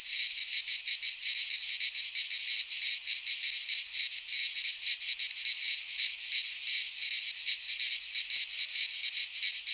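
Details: Cicada song in midsummer among Greek pines: a continuous, grating high buzz with irregular swelling pulses, dense and unchanging in loudness.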